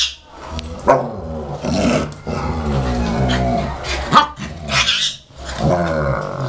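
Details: German Shepherd puppy tussling with its mother, 2012: continuous low growling with harmonic layers, punctuated by short yips and barks at irregular intervals, about one per second.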